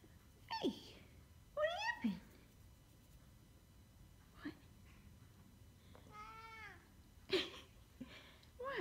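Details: A pet Korat cat meows repeatedly: short downward-swooping cries, then a longer, wavering, harmonic meow, then a few brief clipped calls, with quiet pauses between them.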